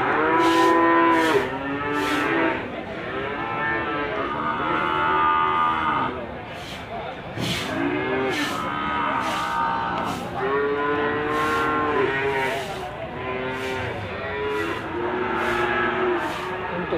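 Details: Limousin calves penned at Gondanglegi livestock market, East Java, 12 February 2020: drawn-out moos overlap, some curving downward at the end, broken by sharp knocks and clatters at irregular intervals.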